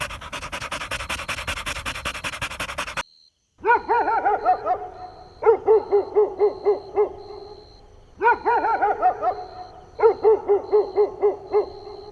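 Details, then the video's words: Playing Golden Retriever puppies on a lawn: a burst of broad noise, then clustered yappy barks in quick runs of five or six, each run repeating after a short pause. "Adorable Golden Retriever Puppies Playing On Lush Green Grass – Cute Dog Video | Dog Sounds"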